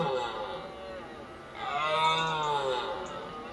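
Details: Red deer during the October 2013 rut in Richmond Park, filmed on a Panasonic HC-V720: two drawn-out, deep, harmonic-rich roars, the first lasting about a second and the second louder and longer, with a gentle rise and fall in pitch.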